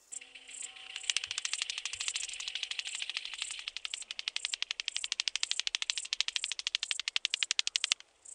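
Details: Rattle grasshopper recorded at Boltigen, Switzerland, on 7 September 2023: a dry, loud rattling burst of rapid clicks, speeding and pulsing for about seven seconds before stopping abruptly, with faint low thumps early on and otherwise quiet surroundings.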